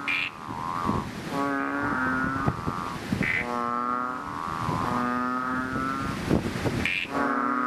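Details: Chubby frogs, also called bubble, ox or bull frogs, calling loudly in a fishpond just after rain; drawn-out droning moans with stacked harmonics, about one second each, overlapping from several frogs, plus sharper higher notes between them.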